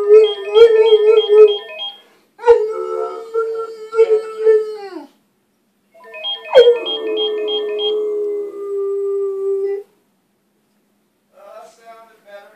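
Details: Arrow the Bulldog singing: a series of long wavering howls, some with a quick trill on top, one starting with a sharp high yelp that slides down into a held tone, separated by short silences, ending with soft whimpering notes.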